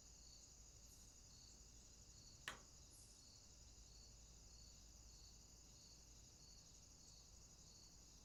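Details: Night swamp chorus of crickets: continuous high shrill trilling with gentle pulses about twice a second, a sharp single click early on and two brief hissy high bursts, over a low quiet rumble.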